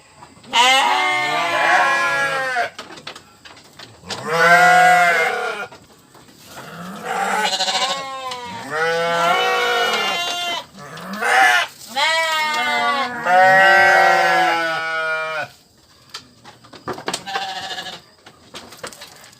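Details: Sheep making repeated bleats, about six quavering, nasal cries of one to two seconds each, separated by short gaps with faint clicks and rustling.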